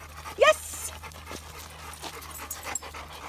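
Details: Gordon Setter panting during formal come-to-sit recall training: soft breathy puffs in an irregular rhythm, a brief call from a person's voice near the start, and a faint low hum throughout.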